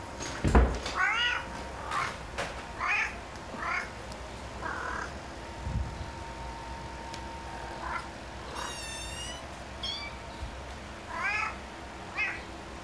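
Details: Indoors, a house cat calls with kittens present: a series of short, wavering meows at irregular intervals and one higher, thinner mew near the middle. A loud knock opens the sequence, followed by faint rustling.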